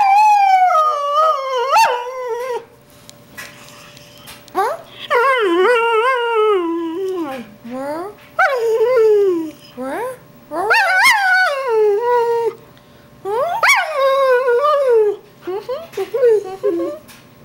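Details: Greyhound singing, a long series of wavering, tonal howls in bouts of about one to three seconds. Pitch often slides up then falls away, with short quiet gaps between howls and a faint steady hum underneath.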